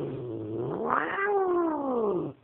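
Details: Domestic cat growling at a scary dog: a low drawn-out moaning growl that rises, then arches and slowly falls over about two seconds, ending abruptly.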